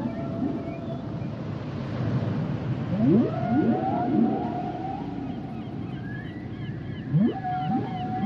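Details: Song of humpback whales: sharp rising swoops that level into sustained moaning tones, one burst early and another near the end, with faint high looping squeaks and a continuous low ocean rumble.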